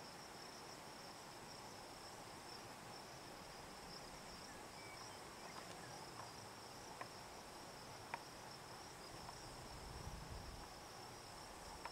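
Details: Hadoa inaudita cicada, formerly Tibicen inauditus, buzzing on a juniper tree in Picket Wire Canyon, southeastern Colorado, at 4622 ft elevation around 8 PM on July 9, 2009: a faint, steady, high-pitched drone holds without a break, with a few soft clicks.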